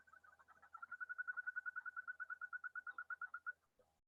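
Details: In spring high country, a male Yosemite toad, breeding in side watersheds rather than trout-stocked lakes, gives a rapid, musical, evenly pulsed trill, so birdlike it was first mistaken for a bird; hundreds together can drown out Pacific chorus frogs.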